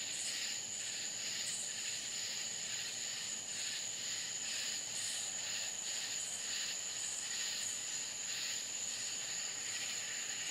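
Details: Crickets at night in the Florida countryside: a steady high, thin ringing tone runs throughout beneath a denser chorus of rhythmic pulsed trills that swell and fade in overlapping bursts, with no other sounds.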